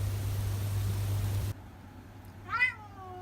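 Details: Talkative ginger tabby house cat in Japan gives a single short meow that rises and then falls. Before it comes a stretch of steady low hum and background noise, which drops away abruptly shortly before the call.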